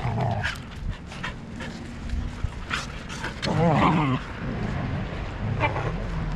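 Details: Huskies fighting within a household pack (parents Turbo and Cloud, pups Boost, Alpha, Mundo and Cielo): one strong warbling, harmonic growl-yowl lasting under a second stands out, surrounded by short yips, scuffles and low rumbling.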